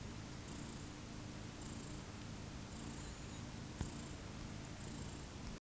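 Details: Two-day-old kittens from Pluma's litter, just over 30 hours old, give a continuous low purring rumble against constant background hiss, with one short click about two-thirds through before the sound cuts off.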